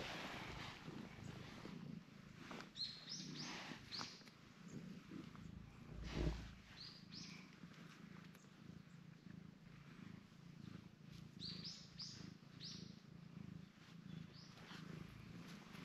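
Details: Cream cat enjoying face rubs, kicking in protest at body touching, purring in a soft low continuous rumble outdoors, with small birds chirping in short rising notes in the background and occasional rustles.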